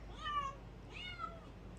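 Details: A teething male kitten, about five months old, mews twice indoors at home. The two short, clear mews come about half a second apart, and the second rises and then falls. Soft room noise sits underneath.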